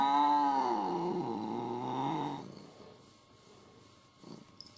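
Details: Pet cat from a jealous-cats compilation, giving a single drawn-out meow that starts high, dips and wavers for about two seconds, then fades into quiet room sound with faint rustling.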